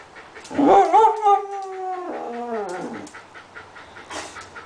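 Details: Australian dingo 'talking': a rising yelp runs into a long, wavering, harmonic howl that sinks gradually in pitch over nearly two seconds, followed by quieter rustling and a brief noisy burst.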